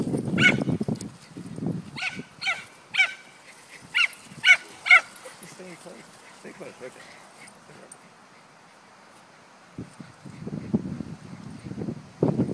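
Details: Female pet dog Cesky during her favourite game of being chased: a burst of about eight bright, yipping barks at an irregular pace mid-clip, framed by human voices talking before and after.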